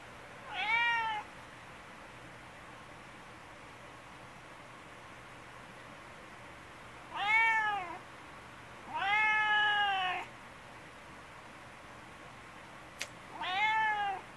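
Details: Talkative, affectionate brown tabby house cat, seeking affection and following its owner, gives four loud, drawn-out meows. Each is bright, rising then falling, and lasts up to a second, spaced several seconds apart in a quiet room with one faint click.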